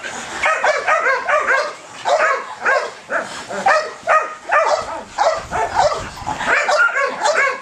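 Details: Excited Belgian Malinois with high ball drive letting out rapid, continuous barks and yips, tightly packed and slightly uneven, bursts running into one another with brief pauses.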